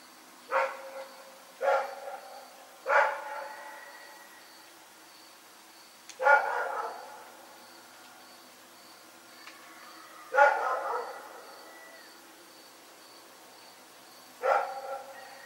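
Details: Rex, a dog, barking in the night: six sharp, harmonic barks, some doubled, spaced irregularly about two to four seconds apart over a quiet background with a faint steady high tone.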